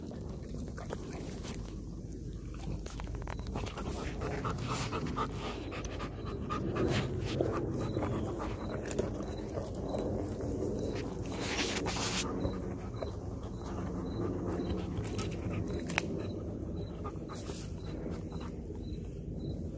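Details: Hard, fast panting from Belgian Malinois Kayne, tired after a workout and eating a raw whole chicken up close; breaths come in rapid bursts mixed with crunching and a regular high-pitched chirping behind.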